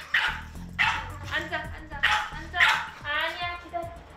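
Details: Two pet dogs turn on each other in a jealous fight whenever a person touches the other. Sharp, yappy barks and snarls burst out about six times in four seconds over background music and narration.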